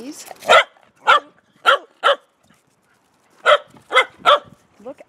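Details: Dog barking to ask to go out: a high whine, then four sharp barks, a pause, then three more quick barks and a brief rising whine at the end, in a quiet room.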